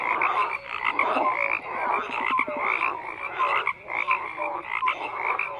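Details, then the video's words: Numerous frogs call at once. Buzzy croaks overlap heavily, a few clicking taps break through, and short pitched notes repeat beneath the steady rasping mass. "FROGS CROAKING"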